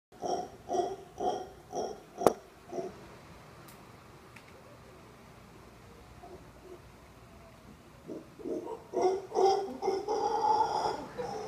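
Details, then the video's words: Male howler monkey calling from the crook of a tree at a resort in Costa Rica, keeping it up for over 30 minutes. Rhythmic guttural pulses repeat about twice a second, fall silent for several seconds, then resume, with a sharp knock near the start. "Costa Rica - Howler monkeys outside our room"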